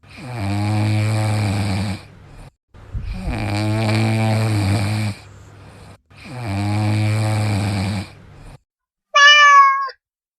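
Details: Sleeping cat snoring in long, rough, low breaths, three drawn-out rasps each lasting about two seconds with short pauses between, followed by a brief higher-pitched meow-like squeak at the end.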